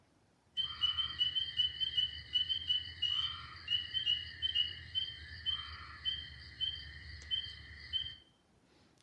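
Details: Spring peepers, very small frogs of about one to one and a half inches, in Alabama at the start of frog season give high, clear peeps, repeated rapidly and overlapping in a bright chorus.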